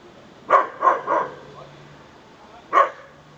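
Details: Small dog giving short little barks: three quick yaps in a row, a pause, then a single bark, each with a sharp onset and a bright tone; quiet room otherwise, with a low steady hum.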